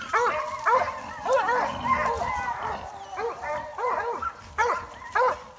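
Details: A female Plott Hound, a working hog-hunting bay dog, bays at two cornered boars with loud, arching, ringing barks in quick uneven bursts.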